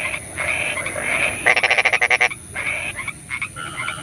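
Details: Frogs calling at night in the rain: overlapping whistled and trilled notes near the same pitch, then a loud burst of rapid pulsed croaks repeated about ten times, with a steady high hiss beneath.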